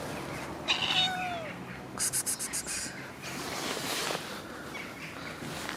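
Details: After rain, a cat gives one clear, falling harmonic meow, followed by a quick burst of rapid clicking and a steady hissy background.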